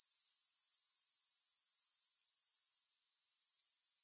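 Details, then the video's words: Rapid, regularly pulsed shrilling of grasshoppers, high and thin, cutting out sharply after about three seconds and then creeping back more softly. "3 Hours of Grass Hopper Sounds"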